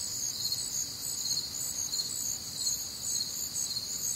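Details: Crickets sing on a humid, warm Midwestern summer night. Several high, shrill chirping layers overlap into a constant shimmer with soft, uneven swells in loudness.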